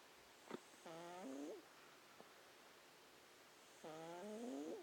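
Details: A cat snores in its sleep, two squeaky, rising, reedy breaths roughly three seconds apart over a faint hiss, with a couple of soft clicks.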